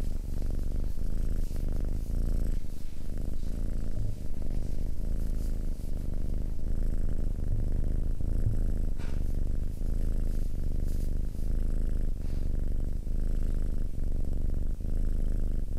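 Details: A domestic cat purring close up, a continuous low rumbling vibration with faint rhythmic pauses at each breath over the whole stretch, steady and even in loudness.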